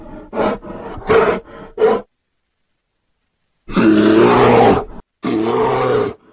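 A bear gives short grunting bursts, then deep, rough, drawn-out roaring growls.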